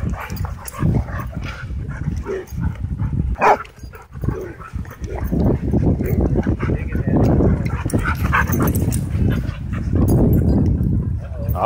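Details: At a dog park during rough wild play, dogs keep up dense low growling with short yips and whimpers mixed in, the tussle continuous across the recording.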